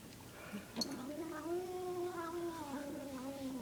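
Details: Domestic cat eating its food and making a weird, long, steady moaning tone that swells slightly and slowly falls, with a few chewing clicks.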